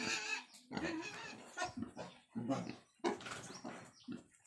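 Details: Wild boar that has just given birth, with newborn piglets nursing: harsh, noisy squealing and grunting in short bursts about half a second apart, with gaps of quiet between them.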